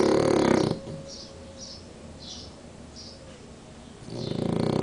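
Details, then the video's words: Snoring French Bulldog Danko, asleep at siesta time with an eye half open. A rough, rattling snore ends the first breath. Quiet breathing with a few faint sniffles follows before the next loud, throaty snore builds. "BULLDOG FRANCES RONCANDO "DANKO EL RONCADOR""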